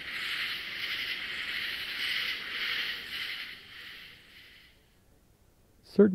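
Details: A loud chorus of katydids calling in unison in a southern swamp at night pulses steadily, raspy and dense, for several seconds, then fades. A brief louder sound comes at the end, interrupted by a barred owl's hoots.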